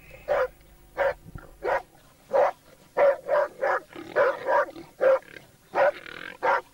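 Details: Laikas working with a labrador on a wild boar hunt bark in short, broadband bursts, about a dozen barks spaced irregularly, some in quick pairs and triplets, with faint background hiss.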